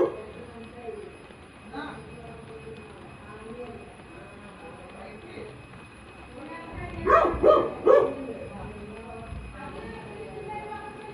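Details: Labrador retriever puppy in a home setting, a low murmur of background noise for several seconds, then three short, sharp barks in quick succession near the end before quiet returns.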